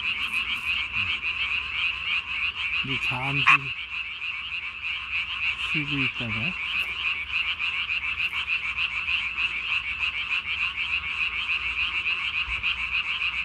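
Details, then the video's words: At night on 3 May 2020, a Japanese tree frog with its throat sac swollen to body size gives a continuous high pulsing croak, over a dozen seconds, broken twice by short low human voices. "밤에 우는 청개구리 울음판이 몸통 만큼 크네요?"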